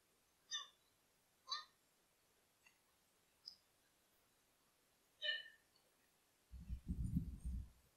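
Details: A tiny fawn on a summer day utters brief, nasal, high bleats spaced a second or more apart, then gets scared. Heavy low thuds and scuffling follow as it almost runs over its deer friend.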